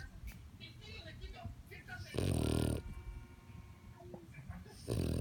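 A French bulldog snores with loud, rasping, low breaths, broken by quieter wheezy stretches.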